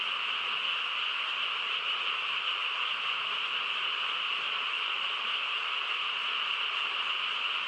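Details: Quiet country night filled by a frog chorus: thick, seamless croaking in two bright pitch bands, even and sustained with no gaps or separate calls rising above the mass.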